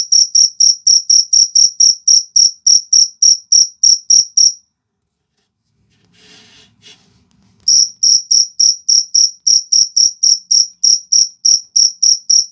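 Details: Fighting cricket giving rapid, even, high-pitched chirps, breaking off for about three seconds with a faint soft rustle, then resuming the same quick chirping rhythm.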